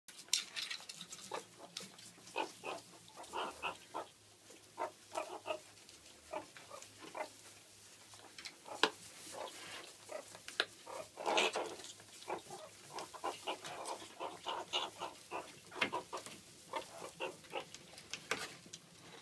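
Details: Captive alpha female meerkat kept as part of a mob, aggressive and leaping up to attack its owner; rapid bursts of short squeaky, chattering calls with harsh noisy clicks throughout, and scuffling handling noise.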